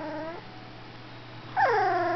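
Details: Golden retriever singing while having its picture taken: a short tonal whine falling away at the start, then after a pause a louder, clear whine that sags in pitch and holds, with rich overtones; steady low hum behind.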